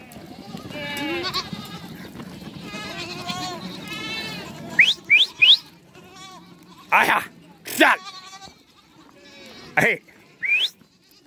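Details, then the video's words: Several goats, mother goats and kids meeting, bleat in overlapping wavering harmonic calls for about four seconds, followed by sharp rising squeals and short loud bursts, with a person talking and music in the background. "keçi oglak buluşması keçi sesi oglak sesi"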